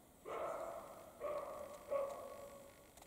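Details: Barking European roe deer in the Carpathian mountains during the spring mating period, male and female present; three rough, dog-like barks in quick succession, the first longest, the next two shorter and spaced under a second apart.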